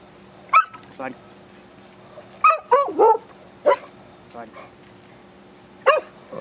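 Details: An excited Beagle being asked to sit and do tricks like paw; several sharp high yips and barks in bursts over six seconds, with a person giving commands in Japanese.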